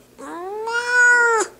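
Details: An upset pet cat protests at being picked up with one long meow, starting low and rising, then holding steady and growing louder before ending abruptly after about a second.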